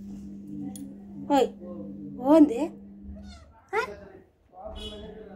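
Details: Curious kitten that wants to know everything, giving three short rising-falling meows about a second apart, then a quieter one, over a steady low indoor hum.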